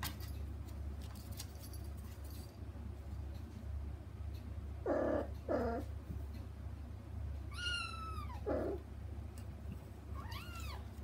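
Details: Kittens kept from a big front room cry to reach their mother through frosted glass: two short, low, muffled mews midway, then high clear meows that sweep downward, with a final rising-falling mew, low hum beneath.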